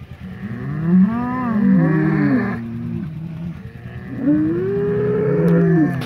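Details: Polled Hereford bulls of the Secret Weapon bloodline fighting during re-acquaintance after the breeding season; two long, groaning bellows that swell and waver, separated by a brief pause.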